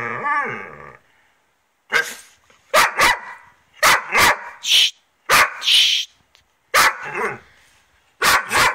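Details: Pet dogs, a Dobermann named Vik and a Rhodesian Ridgeback named Joon; Vik is cranky after losing her favourite ball and takes it out on Joon. A whining growl opens, then sharp barks come in short bursts of two or three with brief silences between.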